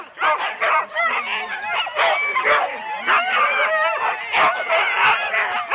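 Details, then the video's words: Huskies in four-dog sled teams at the start, Rendlesham, January 2016, on analogue cassette: overlapping high yelps and barks from several dogs, with stretched whines and sharp louder barks rising above the crowd noise. "4 dog Husky teams - the complete start"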